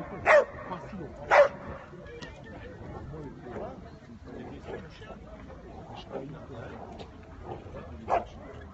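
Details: Dog barking in a show ring at St Avold: two loud sharp barks near the start, about a second apart, then one more near the end, over a background of indistinct crowd voices.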